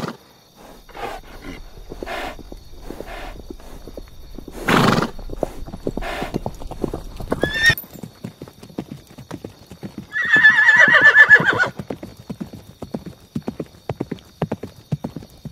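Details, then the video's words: Horse hooves clip-clopping in a steady, rapid rhythm, with a sharp snort midway, then a loud trembling whinny lasting under two seconds before the hoofbeats continue, softer and more scattered. "Sound of Horses - Galloping Horses - Neighing Horse"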